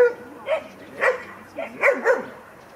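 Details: During playtime with mostly grown dogs, a 16-week-old female Kleiner Münsterländer puppy named Franzi is in the group. Five brisk, high barks ring out unevenly, a single yap, then another, then a tight run of three near the end.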